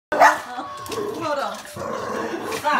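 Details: A Boston Terrier gives a sharp, high bark at a wolf Halloween decoration, with a person's voice talking over the following seconds.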